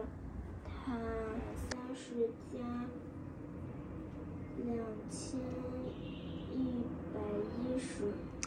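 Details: A woman talks in a small room, with no clear animal voice. Low background hum runs underneath, and a few brief clicks and rustles break in.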